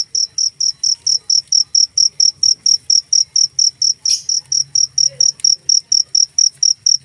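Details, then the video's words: Cricket giving sharp, high-pitched chirps in an unbroken regular series, about four a second, each a short bright burst; a brief rustle interrupts once and a low steady hum runs beneath. "suara jangkrik"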